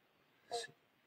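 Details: A big Western Banjo Frog sitting on a piece of wood in a new garden pond, waiting for mosquitoes and insects, gives a single short, low 'bonk', like a plucked banjo string; another calls in another pond.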